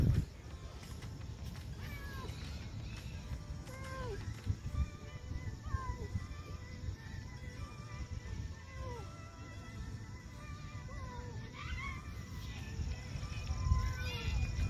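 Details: Lonely, hungry female stray cat in an old park, being fed; repeated short arched meows, mid-pitched with faint harmonics, recurring every second or so under a steady low hum and background music.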